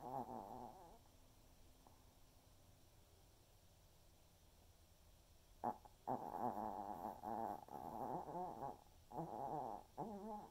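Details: Waldo, an elderly Pomeranian, snores while napping in the afternoon, giving a string of rough, fluttering snores with a wobbling tone, a quiet pause, then a louder run of rattling breaths coming about twice per second.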